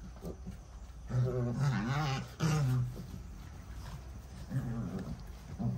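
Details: Puppies playing: wavering, harmonic growls and whiny yelps come in two bursts, a longer run of overlapping calls early on and a shorter one near the end, over a steady low hum.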